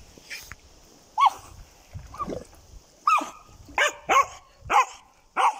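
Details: German Jagdterrier barking: short sharp barks with a yelping upper edge, spaced irregularly at first and then coming about every half second toward the end, against a quiet background.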